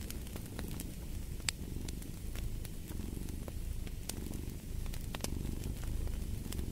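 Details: Cat purring steadily, a dense low rumble with soft swells, while sharp fireplace crackles and pops snap over it throughout.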